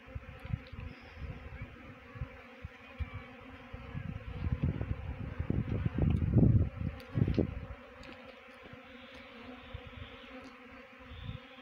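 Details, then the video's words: Honey bee swarm being trapped into a bee box, heard as a low droning hum that swells louder and denser around the middle, then settles back to a steady murmur. "Best Honey Bee Swarm Trapping."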